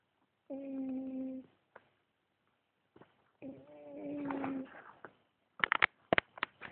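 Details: A sleeping cat snoring: two drawn-out, steady humming tones about a second each, separated by a short pause, then a few sharp clicks and rustles near the end in a quiet room.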